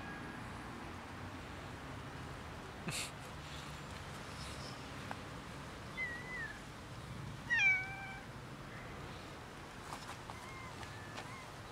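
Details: Domestic cats, many of them gathering for dinner while one rolls on the ground; a few short, wavering meows, the clearest and loudest near the middle, over a steady low background hum with faint clicks.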